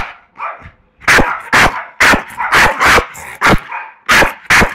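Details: Staffordshire Bull Terrier on the attack in Málaga, barking hard and fast: loud broadband barks in pairs and triplets with brief pauses between, a few softer growly sounds at the start.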